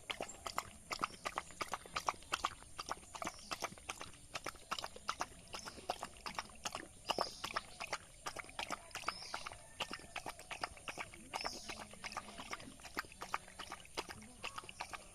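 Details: Village dog eating rice, a long run of dense wet chewing clicks and smacks, close to three per second, over a steady faint hiss.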